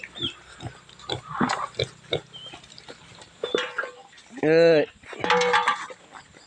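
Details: Native pigs being given their feed, including a pregnant sow, let out two strong, drawn-out squeals near the end after a stretch of a man talking over soft background hum.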